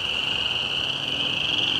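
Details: A dense chorus of spring peepers at a small pond in spring, their high, piercing peeps merging into a steady shrill ring; the frogs fell silent when a person walked through, a potential threat.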